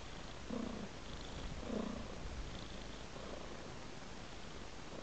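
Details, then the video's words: Tabby cat purring steadily, a low continuous rumble with a few slightly louder breaths near the start and middle, set against faint background hiss. "A Sweet Purring Tabby Cat"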